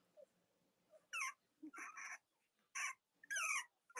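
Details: Cavalier King Charles Spaniel puppies on a live stream, with three nursing mothers, on a chilly Monday morning near Halloween in the US; short high whimpering squeals in bursts, several overlapping, with gaps of quiet between.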